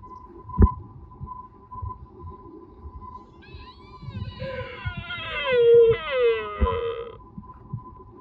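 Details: Mating-season roar of a sika deer at Nara Park, Japan. A rich, harmonic cry rises into a wavering wail, then drops in pitch through repeated bends over about four seconds. Low background rumble and clatter are audible.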